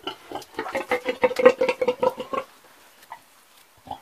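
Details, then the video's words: Old pig grunting in a quick run of rhythmic nasal grunts for about two and a half seconds, then quiet with a few faint snorts and a final grunt. "The old pig egy öreg disznó"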